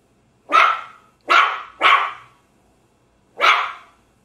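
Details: Small dog barking: four sharp, bright yelps, the second and third close together, the last after a pause of over a second, each quickly fading, with a quiet background.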